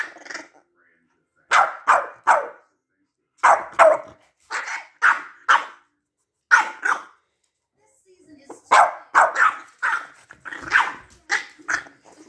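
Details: Two Boston Terriers having an argument trade sharp, yappy barks and grumbles in quick bursts of two or three.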